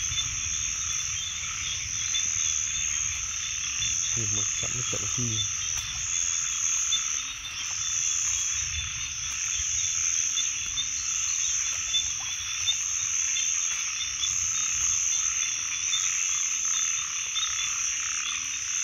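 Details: Frogs calling outdoors, low short croaks repeated at an uneven pace beneath a dense, steady high-pitched buzzing chorus that fills the whole recording, with a brief burst of rapid low pulses near the middle.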